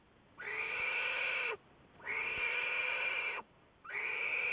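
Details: American black bear Juliet, studied by Wildlife Research Institute researchers, recorded February 10, 2014: three long, harmonic, nasal bleating calls of about a second each, steady in pitch with a slight downward bend at the end, separated by short silences.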